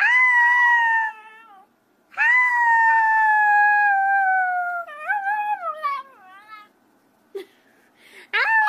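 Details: Puppies howling: two long, smooth, slowly falling howls separated by a short gap, then a quavering, stepped run of notes and a few brief yelps.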